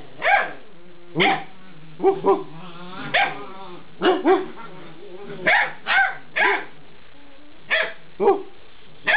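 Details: Alaskan Malamute puppies, eight weeks old, answering as their owner talks with them: short yelping barks and whining, woo-like calls, some with wavering harmonics, coming in quick bursts about every half second to second.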